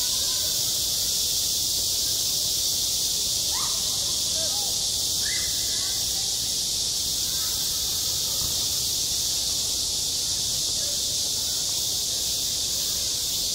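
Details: High, steady buzz of many cicadas on a school playground in the heat of summer, unchanging for the whole stretch, with a few brief sharp calls and muted distant voices beneath.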